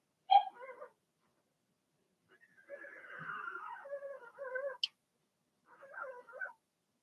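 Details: Blenheim Cavalier King Charles Spaniel puppies, born March 7–8 to Remy, in their indoor pen; a sharp yelp, then a drawn-out, quavering whine, a short click, and a final soft whimper after a pause.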